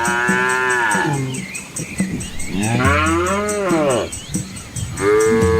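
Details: Cows and calves of an Asian village walking a quiet country road past rice fields; three overlapping wavering moos, bending up and down in pitch, with a high steady ringing in the background.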